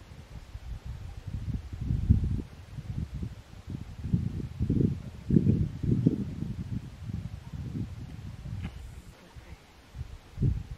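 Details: Rutting fallow deer in Asturias' Sierra del Sueve, the season of the ronca: a series of deep, guttural groans in quick, uneven pulses through most of the recording, fading near the close with a brief final burst.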